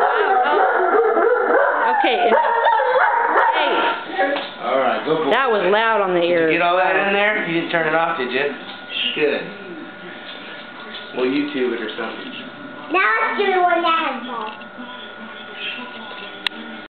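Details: A 6-month-old male German Shepherd puppy weighing 78 lbs howls in wavering, rising and falling wails, with people talking and music over it.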